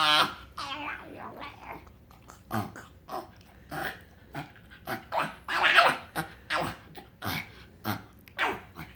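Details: Frank the pug, a pet dog, makes strange noises when happy: a run of short snorting, grunting bursts with whiny, rising squeals between them, in irregular bouts through the clip.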